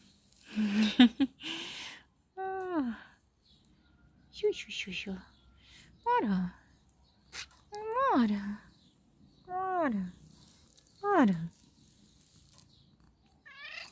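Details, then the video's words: Black female cat meowing while being petted: after an opening burst of rustling noise, about six harmonic meows drop steeply in pitch, repeating every one and a half to two seconds, with a short higher call at the end. "Black cat makes a funny meow when I pet her"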